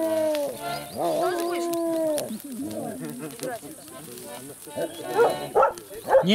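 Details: Belgian Shepherd named Dalya, filmed 20 July 2018, howling along to music: long sustained tonal howls sliding gently downward, then wavering shorter howls, with a man speaking and music in the background.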